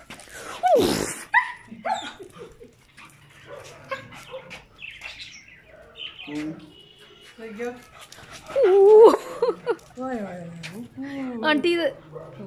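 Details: German Shepherd staying by its owner, giving high rising and falling whines and whimpers, some with clear tonal bends, between quiet gaps, with human speech mixed in.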